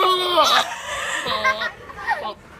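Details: Goats making noises: several wavering, nasal bleats in quick succession, each wobbling in pitch, with short gaps between them.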